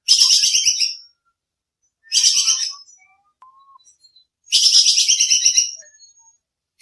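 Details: Squirrel (bajing kekes) call used as training audio for songbirds, described as sharp and clear: three harsh, buzzy, pulsed bursts of about a second each, separated by pauses, with a few faint low chirps between them.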